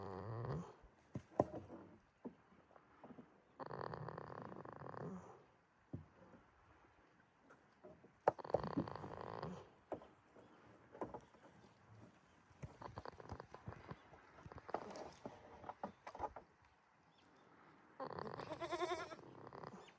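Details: Sleeping goat named Jitta at Yoshigake farm, Himi, Toyama Prefecture, Japan, 11 March 2026: rasping, breathy snores come every few seconds, mixed with scattered clicks and rustling in between.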